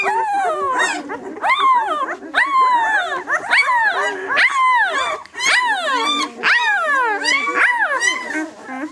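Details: A six-day-old White German Shepherd litter ("of White Night" B litter) keeps up insistent, downward-bending squeals in rapid succession, shrill harmonics stacked high, barely pausing between cries.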